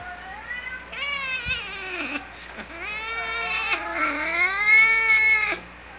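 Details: Two pet cats, one an adopted kitten about four months old, reacting to cat sounds played on a screen in December 2018. Long, drawn-out, wavering meows that dip and rise, tonal and whiny, with a faint knock early on.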